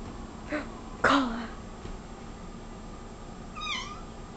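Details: Cola, a pet cat, meowing because she sees a bug on the wall: one short faint meow, then a louder falling meow, and a high chirpy trill near the end, over a steady room hum.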